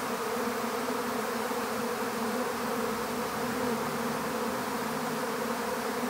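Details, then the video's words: Massed buzzing of a honeybee swarm during capture in an empty hive, an even, thick hum of overlapping wingbeats holding steady in pitch and loudness throughout. "How to Capture a Honeybee Swarm"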